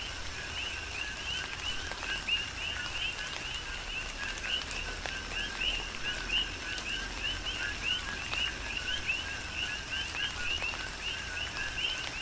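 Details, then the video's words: Rhythmic coqui frog chorus in tropical rain on the Big Island of Hawaii; dense, overlapping two-part calls, a low short note then a higher upward chirp, run without pause beneath steady rainfall and occasional crisp drops. "Tropical Rain & Coqui"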